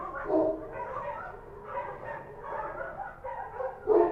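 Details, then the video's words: Kochi street dogs barking at night in Kabul, Afghanistan: a dense overlapping chorus of mid-pitched barks, with louder yapping bursts near the start and end. "Street dogs barking at night | Kabul | Sound Effect | Kochi Dog"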